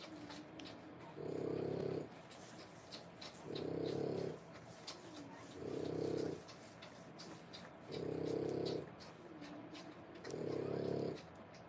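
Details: Indoors, a French Bulldog mother feeds her three-week-old pups, born 1/10/25, and breathes in a regular snoring rhythm. Five low, raspy bursts come about every two and a half seconds, with faint squeaks and rustling in between.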